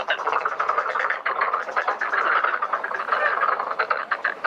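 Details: Numerous black-spotted pond frogs croaking in a breeding pond during mating and egg-laying; loud, dense rattling pulses overlap in a constant chorus with brief dips in volume.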